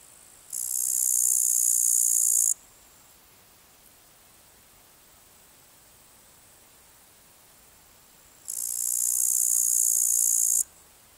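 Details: A male upland green bush-cricket (Tettigonia cantans) gives its calling song, a dry, high-pitched buzzing trill in two bursts of about two seconds each, recorded 14 August 2019 at Palu, Trentino, Italy.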